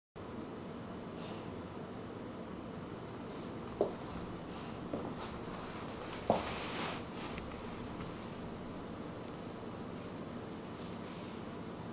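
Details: A quiet indoor room tone with soft rustling and a few faint clicks, and no clear animal vocalisation.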